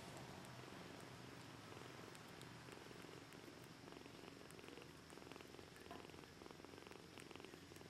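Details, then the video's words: Two hungry kittens, Socrates and Aphrodite, at feeding time; a steady, low purring rumble runs throughout under a hiss of broadband noise, with scattered faint clicks. "KITTENS! Hungry"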